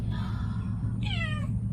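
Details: Domestic cat indoors giving a drawn-out, steady mew and then a short, clear meow that slides downward, over a low constant hum.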